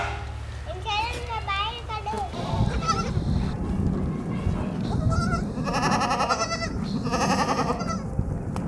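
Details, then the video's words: White baby goats drinking milk give quavering, wavering bleats, one early series and a louder burst later, over steady talking and background voices with a low rumble. "Baby Goats drinking Milk 🥛 White Baby Goats - RELAXING SOUNDS"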